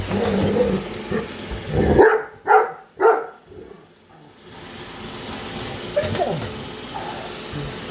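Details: Indoor female Great Dane barking while following a robot vacuum; three sharp barks near two, two and a half and three seconds, then quieter vocal sounds, with the vacuum's broad whirring noise throughout.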